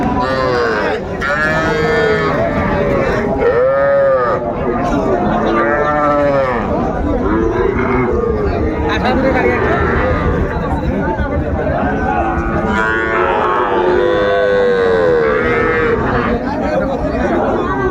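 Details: Crowded Mymensingh cattle market on 14 January 2025 where tiny bull and heifer calves are sold. Repeated short, bowed moos from several calves overlap irregularly, some higher and bleating, against constant talking of buyers and sellers.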